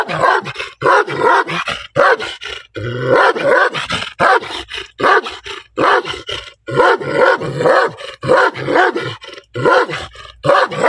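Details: Black dog barking angrily and loudly in a long run of short, rough, explosive barks, coming in rapid pairs and triplets with brief silences between groups.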